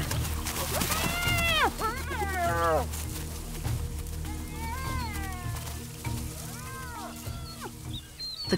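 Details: On western Zambia's Liuwa Plains a hungry clan of 12 spotted hyenas competes over a small antelope carcass; repeated downward-arching harmonic squeals and whines come in clusters, with steady background music beneath.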